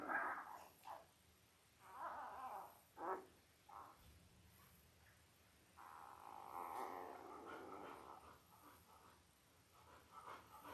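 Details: Five-day-old Labrador Retriever puppies from Belle's litter of five males and three females, born October 15, 2023, on a live puppy cam, giving soft, brief squealing whimpers in scattered bursts, then one longer wavering whine, with quiet background hum.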